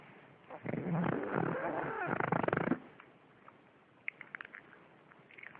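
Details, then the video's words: Pug snoring loudly: a rough, rasping, buzzy snore lasting about two seconds, then quieter breathing with faint clicks and snuffles. "Horibble snoring.... Mops Bob děsivě chrápe"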